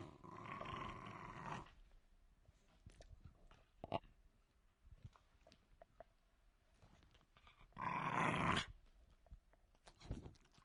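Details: Jack Russell Terrier growling in two rough, rasping bursts, one at the start lasting under two seconds and a shorter one near the eighth second, with faint clicks and quiet room noise between them.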